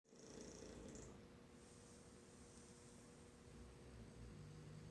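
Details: Two English Bulldogs snore in a low, steady, rattling rumble during a morning nap after playing hard in a field.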